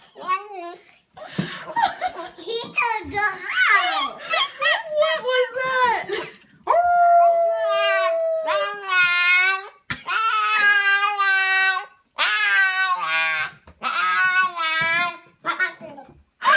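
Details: Husky puppy "talking" indoors in a small room: a run of yowling, whining howls that rise and fall in wavering bouts, one long steady wail near the middle, then several shorter harmonic moans separated by brief pauses.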